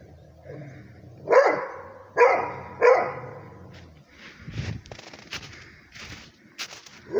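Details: Rhodesian Ridgeback barking at a tablet: three sharp barks about a second apart, then quieter clattering and scattered noises.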